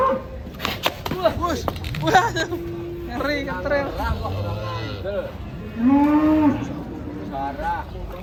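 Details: Fat, agitated cattle rampaging while being loaded onto a truck: several deep, drawn-out moos, one long steady low bellow and others bending up and down, with human voices talking and shouting close by.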